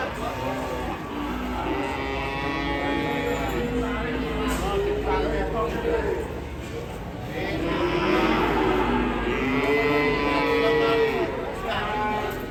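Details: Agitated, raging cattle in Indonesia: long drawn-out moos with layered tones, sliding in pitch and overlapping one another, swelling louder toward the end, with human voices and possible music underneath.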